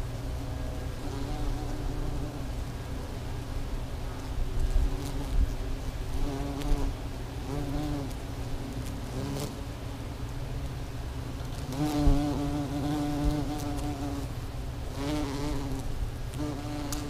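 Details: In spring, hundreds of bees crowd a tree and make a thick, continuous drone. Individual buzzing tones rise and fall as bees fly close to the microphone, with a louder wavering whine near the middle and the end.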